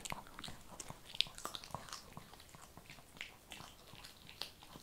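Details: A Shih Tzu eats kibble in a small room, making light, bright crunching clicks spaced every fraction of a second, with one sharp louder bite.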